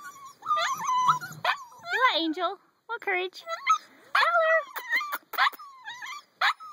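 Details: Whimpering from eight-week-old puppies: clusters of quavering, up-and-down squeals and short yelps, with a gentle human voice and scattered knocks in between.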